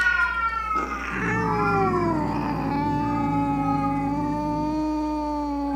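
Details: Angry domestic cat yowl used to scare off rats, opossums and other cats: one long, sustained moaning caterwaul that dips early then holds a level, slightly wavering pitch for several seconds, with a constant low hum beneath.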